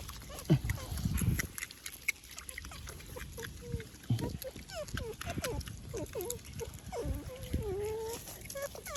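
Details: Otter giving short bird-like chirps and bent, squealing whistles that rise and fall, with low grunting bursts near the start and a longer wavering squeal toward the end over steady background noise.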